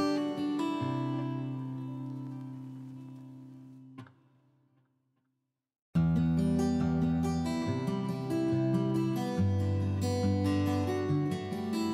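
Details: Strummed acoustic guitar music fades into near silence for about two seconds, then resumes with quick, rhythmic strumming; no animal sounds are heard.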